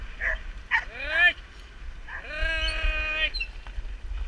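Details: Samoyeds from two sled teams, each with a young trainee female, at the end of a 12 km training run in September 2014. A short rising yelp is followed by a drawn-out, level, howl-like whine of about one second, over a low background rumble.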